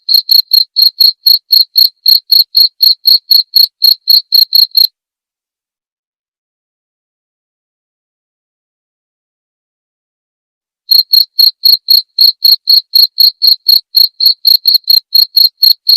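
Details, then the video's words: Cricket chirping as a clear master recording for training white-rumped shama (murai batu) songbirds, meant to be played nightly: bright high chirps about four per second for five seconds, a six-second silence, then the same pulsing rhythm resumes. "masteran suara jangkrik jernih!"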